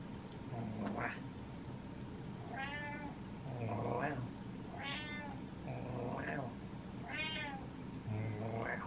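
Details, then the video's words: Impatient pet cat exchanging meows with its owner indoors: about seven harmonic meows in a row, alternating with a person imitating meows back. "Impatient Cat Meows At Dad"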